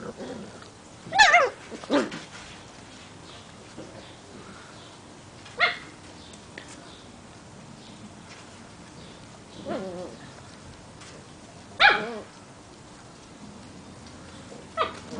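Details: Portuguese Water Dog puppies, seven weeks old, playing outside; short, sharp yips and barks come in scattered bursts, about six over fifteen seconds, with quiet stretches of low background noise between them.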